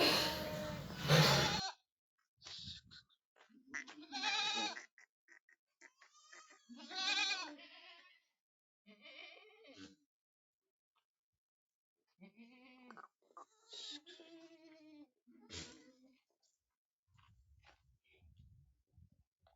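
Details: Young goat kids at a goat farm in Aurangabad, Maharashtra, India, bleating in a series of wavering, harmonic-rich calls at irregular intervals, with a loud noisy burst at the start and quiet gaps between.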